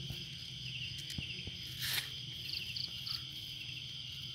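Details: Crickets on a quiet night in a garden in Indonesia give a continuous high-pitched trill. Short, brighter pulsed chirps rise above it, over a faint low rumble of night ambience.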